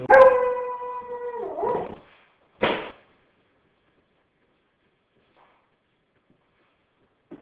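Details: Achilles, a Red Nosed Pit Bull and Weimaraner mix, who greets visitors with a little song while holding a hollow bone: one drawn-out whining tone, steady and then sagging, followed by a short rough huff and then silence.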